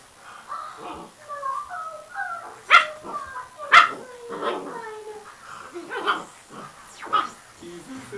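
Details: A father dog with his pups clinging to his neck while the mother lazes nearby; high squeaky whines and yips slide downward in pitch, two sharper yelps near the middle, a person's voice talking alongside.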